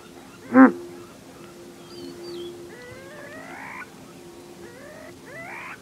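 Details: Male Grant's gazelle giving an alarm snort: one loud, short, explosive snort near the start. Thin whistled and rising bird notes follow over the next few seconds against a quiet background.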